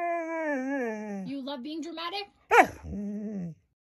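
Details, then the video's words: Siberian Husky being dramatic indoors: a sustained, wavering harmonic whine that slowly sinks in pitch, then broken, choppy yowls, a sharp yelp, and a shorter falling moan, with a person speaking nearby. "huskies being dramatic"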